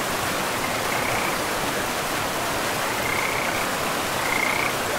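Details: Frogs beside a river in a pristine, moss-covered forest. Three short, high croaking calls, each about half a second long, are spread over a few seconds. A steady rush of flowing water fills the background.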